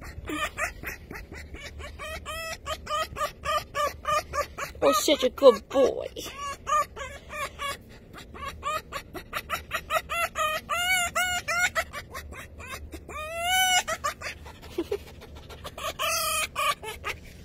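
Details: In the morning, a fox gives rapid, high, squeaky whines and chirps in eager greeting while a person says good morning alongside.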